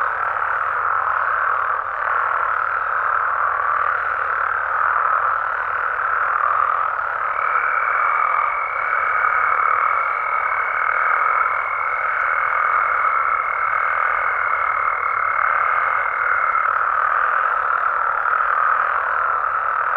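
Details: Frogs and toads calling at night in natural habitat in Mexico: a dense, unbroken chorus of overlapping mid-pitched croaks, with a thin steady high whine laid over the middle stretch.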